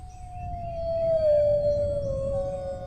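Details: Dog howling in a long sustained tone that slides slowly downward and holds steady, with soft low rumble beneath.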